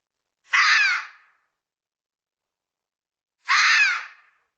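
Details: Red fox giving two harsh, raspy screams about three seconds apart, each under a second long, broadband and hoarse with a slight downward bend, against a silent background.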